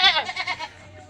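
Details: A goat gives a short, wavering bleat of several quick pulses that fades after under a second, leaving quiet background.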